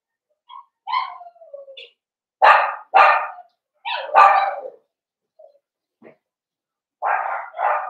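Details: In an indoor pen, blenheim Cavalier King Charles Spaniel puppies, a litter of five born around New Year's Day, let out a falling whine, then several loud broad barks in pairs with quiet gaps between.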